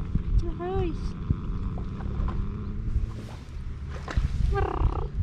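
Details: Two male stray cats in Istanbul, by the sea, that dislike each other: a drawn-out, wavering meow near the start and another harsh, rising call near the end, over steady low rumbling and a person talking.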